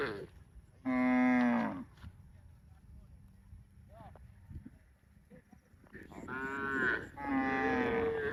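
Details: Cow producing three loud moos: one full, steady call, a pause with faint thumps, then two more moos close together, the last with a rising, nasal quality.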